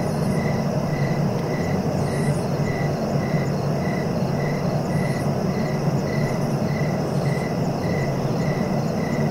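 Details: Cricket chirping in short, evenly spaced pulses, roughly one every half second, steady throughout, over a constant low rumbling background noise.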